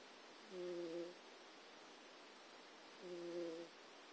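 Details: Jack, a pet cat asleep indoors on notes and USB cables, twitching and making noises while dreaming; two soft, steady humming snore tones, each about half a second long and roughly two and a half seconds apart, over faint room hiss.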